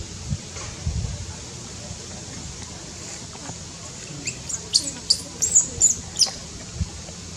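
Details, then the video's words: Newborn baby monkey in Cambodia, born high in tall trees, giving a quick run of thin, very high-pitched squeaks in the second half, several short peeps close together over soft low rumbling and rustling. "Baby monkey newborn"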